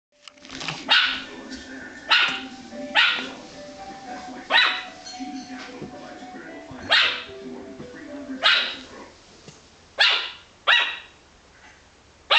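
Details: Female Yorkshire Terrier puppy indoors, barking at a wall right after eating breakfast; sharp, high, yappy barks in bursts, about eight over twelve seconds, spaced irregularly one to two seconds apart, with faint steady tones humming underneath.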